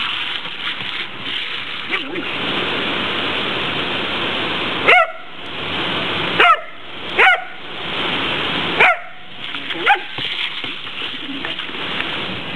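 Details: A Border Collie attacking a garden hose: several short, sharp barks and yips break through the steady hiss of spraying water, with a few brief silent pauses.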